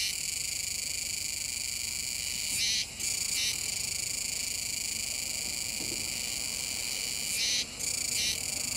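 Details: Kuroiwa's cicadas chorusing by a river mouth in Nishinoomote, Tanegashima, Japan, on 7 September 2022. A continuous shrill buzz rises into two harsh, louder bursts about five seconds apart, each followed by a short lull.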